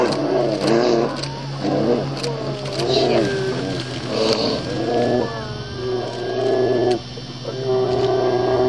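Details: Brown bears fighting on the coast of Katmai National Park, Alaska, a mother with an older cub attacking a young female: repeated drawn-out tonal moaning calls, some wavering and sliding, about a second each, over a steady low engine drone.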